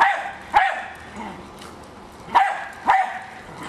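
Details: Hali, a Jack Russell Terrier going after a remote-controlled toy car, lets out three sharp, bright barks, one early and two close together near the end, separated by a quiet stretch.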